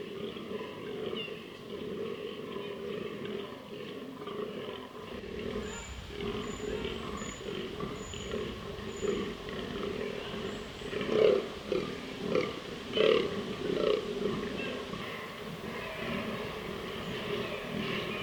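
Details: Fallow deer bucks in autumn rut, 2023, southern Slovakia, charged with testosterone at their roaring pit while awaiting females: deep, belching rutting groans repeated roughly every two seconds.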